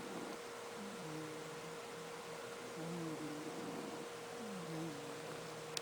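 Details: Arthur the cat, a pet cat snoring like an old fella: soft, low, wheezy tonal snores with slightly rising and falling pitch, one every one and a half to two seconds, over a steady electrical hum and room noise.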